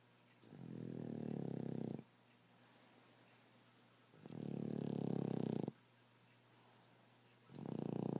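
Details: Reggie, a rescue Boston Terrier and French Bulldog mix, snores while asleep indoors: rough, low, droning snores of about a second and a half, separated by quiet pauses of roughly two seconds, with a faint steady hum underneath.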